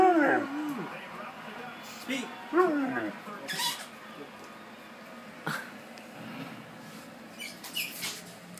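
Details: Alaskan Malamute mix "talking" to its owner while getting treats: wavering, whiny, howl-like vocal bends in the first three seconds, mixed with a man's praising voice, then quieter talk and a child making noises in the background.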